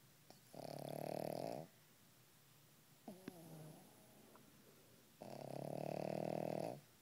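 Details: Pug snoring softly while asleep: two long, loud, even rasping snores with a quieter stretch of snuffling breath between them, in a quiet indoor room.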